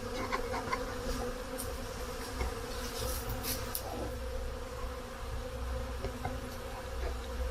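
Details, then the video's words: Honey bees at their hives in a honey hut during spring activity, with snow melting and the temperature near 10 °C: a steady, low droning hum with a deep fundamental and a clear overtone, holding even throughout, with faint clicks and knocks above. "Honey Bees Spring activity at the Honey Hut"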